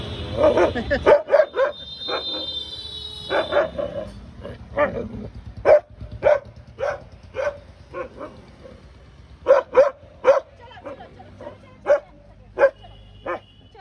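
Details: Domestic dog barking at a cat, giving many short, sharp barks, sometimes doubled, spaced irregularly at about one per second over the whole stretch, with a brief high whine early on.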